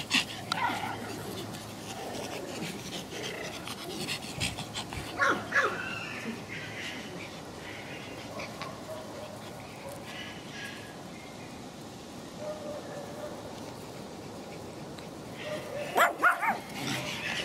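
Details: Ricky, a young Pomeranian from the Elenhouse kennel in Kyiv, pants in quick, uneven breathy puffs, roughly two per second, while a woman keeps calling his name and talking to him, with a few louder rustles and bumps.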